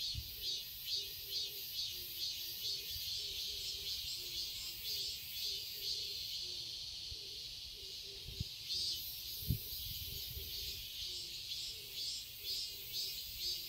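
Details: Cicadas in a Seoul garden in summer: a shrill, pulsing high drone that beats in regular waves, over a row of soft low repeated notes, with two sharp clicks near the middle.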